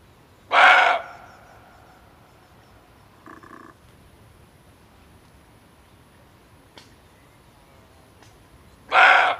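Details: Male barking deer, a call used to lure deer when hunting: two loud, harsh, short barks about eight seconds apart, with a faint softer note and a few clicks in the quiet gap between them.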